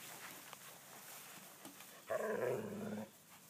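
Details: Cavalier King Charles Spaniel chasing butterflies; after faint background rustling, one loud, harmonic, whining vocal sound lasts about a second, then quiet returns.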